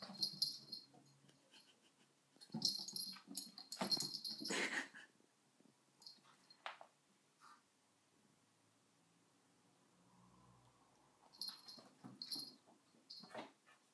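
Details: Dog with a cushion, wheezing: breathy, hissing bursts with a raspy edge come in clusters near the start, from about 2.5 to 5 seconds, and again near the end, separated by quiet stretches.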